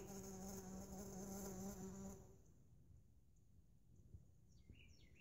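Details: Mason bees in a lawn mower bagger give a loud, even, low buzz with layered overtones for two seconds that stops abruptly, leaving quiet rustle and a few faint bird chirps near the end.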